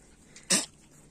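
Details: Puppy from one of two litters gives a single sharp, breathy sneeze-like snort lasting about a fifth of a second, standing out against a quiet indoor background.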